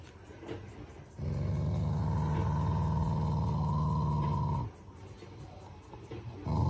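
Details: Affectionate growl from a family Shiba Inu, not an angry one: one sustained low rumble lasting about three and a half seconds, gravelly and even, with a thin higher tone running above, then quiet with soft rustling.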